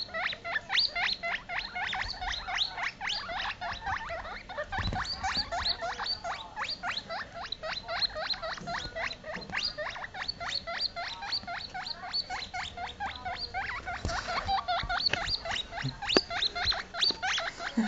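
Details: Two baby US Teddy silver agouti guinea pigs, scared after being put on a couch away from their mother, give a steady stream of high, rapid squeaks, several every second, screaming for her.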